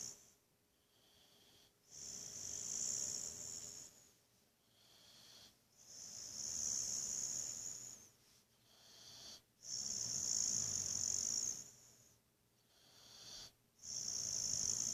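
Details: Buddy, a Boxer dog, snoring in a sound sleep: long hissing, wheezy breaths about four seconds apart, alternating with quieter intakes in a steady rhythm.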